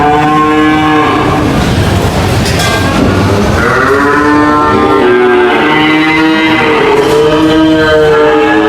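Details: Cattle lowing together, a crowd of overlapping moos rising and falling, with a dense rumbling background of many animals.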